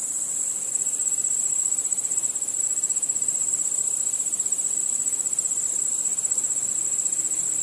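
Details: Nocturnal crickets chirping in a starlit setting, a shrill, sustained high band of rapid pulses that is constant from start to finish, with a faint soft hiss beneath.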